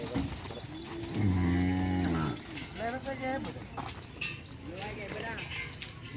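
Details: Madura bull at bull-race training on the Asemanis field lowing once, a deep, rich moo lasting just over a second, followed by men chatting and crowd noise.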